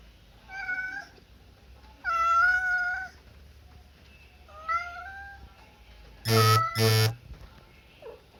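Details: Domestic cat meowing indoors: several drawn-out, harmonic meows rising and falling, a loud wavering one near two seconds, then two short, very loud broadband yowls close together, with a faint low hum underneath.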